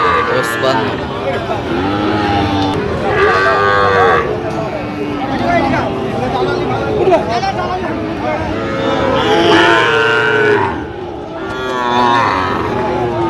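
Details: Sahiwal bull calves at a Jamalpur cattle market, Bangladesh, on 31 August 2025, producing a string of arched, harmonic moos from several animals. Men talk loudly throughout, with traffic hum in the background.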